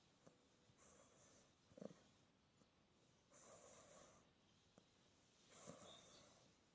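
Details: Quiet snoring from a sleeping Australian Bulldog puppy: three breathy, wheezing snores spaced a couple of seconds apart, with faint snuffles between them.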